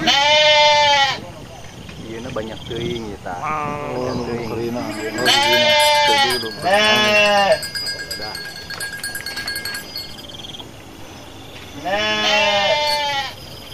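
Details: Flock of Garut sheep in a rice-field area, dozens running after raging rams: loud, wavering harmonic bleats in separate bursts about a second long, with quieter voices and chatter between them.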